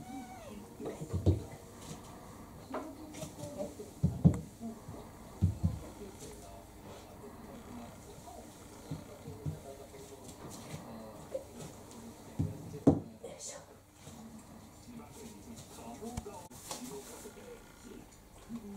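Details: Kurumi, a brown tabby mixed-breed house cat about four years old, pesters for dinner indoors; a few short, soft meows rise between dull thumps and knocks, with quiet human talk in the room.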